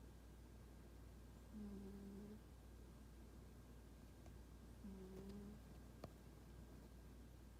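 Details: A quiet snoring cat, Toraji, who keeps aloof from people, lets out two low, smooth, humming snore tones roughly three seconds apart, with a small click near the end and a constant faint room hum.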